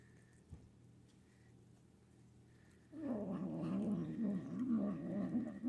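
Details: A female Manx kitten growls over her food while being fed indoors. After a quiet start comes a low, rough, wavering rumble that pulses quickly and steadily to the end.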